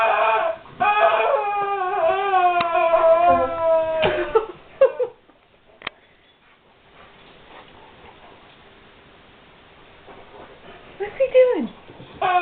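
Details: A guard dog puzzled by a squeaky toy gives a run of high, wavering whines lasting several seconds, then falls quiet, with one brief falling whimper near the end.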